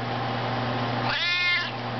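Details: Maine Coon cat singing on cue for its owner while a person sings Twinkle Twinkle Little Star: one drawn-out, rich, tonal meow lasting about half a second, rising then easing down, over a steady low hum.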